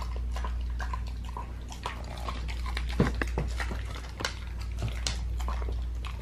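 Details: Raw-fed pit bull eating a raw leg of lamb: dense, irregular crunches, snaps and wet clicks of chewing, about two or three a second, with a few sharper bites standing out, over a steady low hum.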